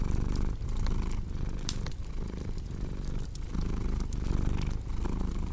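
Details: Deep, throbbing purr of a cat, with the rumble rising and falling about once a second as it breathes in and out, while a fireplace crackles with bright scattered clicks.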